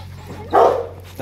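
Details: Four-month-old Rottweiler puppies from a litter of imported sire TEDI and dam Dakota playing together at Gervi kennel; one brief, loud, tonal yelping bark over a steady low hum, followed by the onset of another sound.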